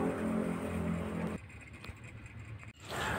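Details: Loud engine hum on a Jakarta street drops away abruptly into quieter background noise, then returns; no animal voice is heard.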